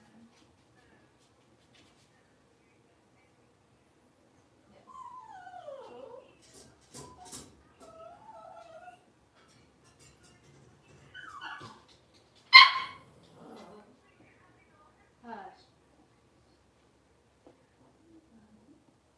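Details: Blenheim Cavalier King Charles Spaniel puppies, a litter of five born on New Year's, moving into a bigger pen at home: scattered high whines and yelps sliding down in pitch, one sharp loud squeal near the middle, quiet room.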